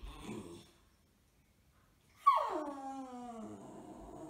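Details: Six-month-old male beagle puppy in a cone, resentful after sterilisation surgery, gives a faint sound, then after silence a loud, high, harmonic whine sliding steadily downward and trailing off over two seconds.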